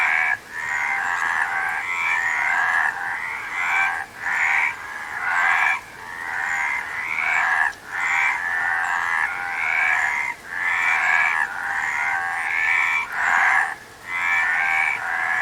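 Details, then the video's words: Chorus of frogs, dense overlapping raspy, pulsed croaks in bursts of one to two seconds, separated by short dips roughly every two seconds, steady and unbroken across the recording. "Frog Sound"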